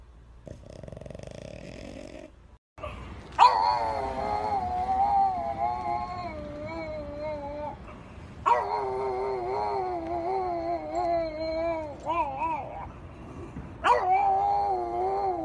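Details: French Bulldog puppy giving long, wavering, howl-like whines rich in overtones. Three drawn-out bouts, each several seconds long, rise and fall in pitch and are separated by brief pauses. A quiet indoor background lies beneath.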